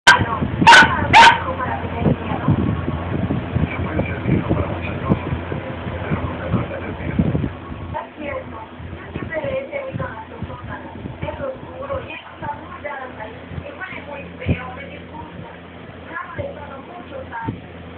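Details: A Siberian Husky, playing with a boxer, barks in loud, rough bursts, followed by people talking and faint music.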